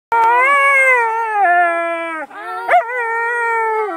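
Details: A Siberian Husky singing on a Sunday: a long, steady, richly harmonic howl held for about two seconds, a brief dip, then a sharp upward yelp sliding into another sustained, slightly lower howl.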